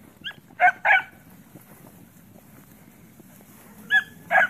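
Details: Puppies playing around the house give a few short, sharp yipping barks in two pairs, separated by a quiet stretch with low background hum.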